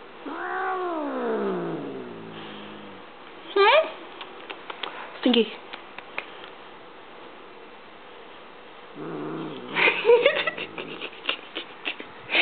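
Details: Stinky, a female pet cat indoors, turns from happy to hostile at a sung military cadence she dislikes: a long, drawn-out yowl sliding downward over about three seconds, then short sharp cries mixed with a human voice and clattering sounds.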